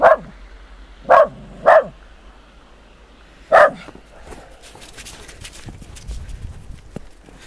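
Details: West Highland White Terrier outdoors in snow giving four sharp, high barks: one at the start, a quick pair a second later, and a last one about two seconds after, followed by crunching and rustling movement noise.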